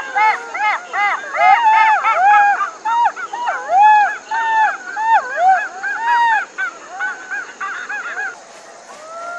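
Several jackals wail together in overlapping high, wavering cries that rise and fall in quick succession.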